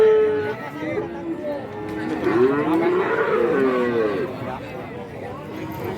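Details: Market cattle in Kajen, Pekalongan, Central Java, on Wednesday trading day, lowing together: a cluster of overlapping drawn-out moos swells at mid-clip and then fades, backed by steady chatter from people.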